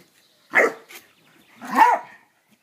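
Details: Landseer puppy, filmed together with a cairn terrier, giving two short, sharp barks about a second apart, the second slightly longer and lower, against an otherwise quiet background.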